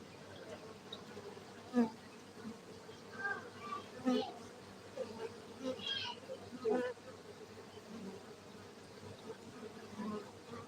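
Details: Kept honey bees at a Gayo apiary in Aceh, Indonesia: a continuous low hum of many wings beneath scattered louder passes of single bees, with soft voices faintly in the background.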